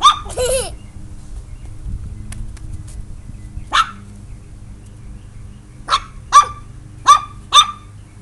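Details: Pet chihuahua barking at a turtle indoors: a short whiny yelp at the start, then a single bark and four sharp high barks spaced under a second apart near the end, with quiet room hum between.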